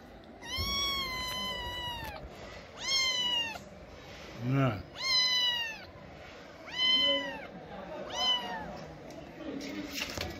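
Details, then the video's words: In the middle of the night in Morocco, a lost cat with sick eyes pleads for help with six drawn-out, rising-then-falling meows spaced one to two seconds apart, plus a short low thump midway. "A cat lost with sick eyes in the middle of the night pleading for help"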